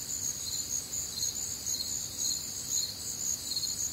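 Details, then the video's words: Crickets calling on a warm, humid Midwestern summer night: a dense, high chorus of pulsed chirps repeating about twice per second over a continuous shrill trill, with faint low background rumble. "Night Time Cricket Sounds"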